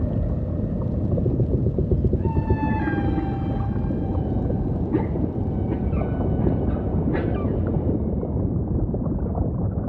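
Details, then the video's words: Humpback whale song over ocean ambience: a clear, sustained harmonic tone that sweeps slightly downward, followed by several short, bright upswept units, all set against continuous low watery rumble. "Majestic Whale Song · beautiful humpback & ocean ambience"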